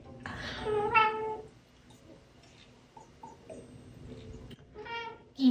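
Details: Gin, a small kitten adopted as a 'cat employee', struggles to catch an elusive 'enemy' just out of reach. A clear tonal meow opens the clip, then quiet room sound, then a second short meow near the end.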